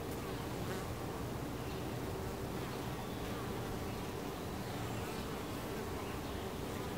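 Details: At a hive entrance, many honey bees fill the air with a steady, low droning hum of wingbeats.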